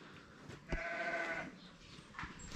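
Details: Domestic sheep in a village at morning, waiting to be fed, giving one wavering, nasal bleat of about a second, with clicks and faint farmyard noise before and after.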